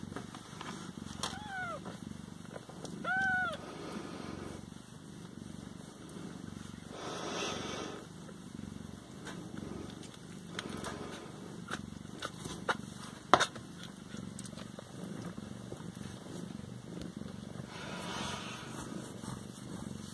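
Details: Siamese cats indoors, a steady low purring rumble running throughout with two short arched meows near the start, a high electrical whine and a woman talking softly in French.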